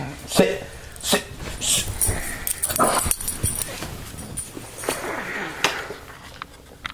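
A Boston Terrier gives short, harsh barks and rough growling bursts, with human voices talking in between.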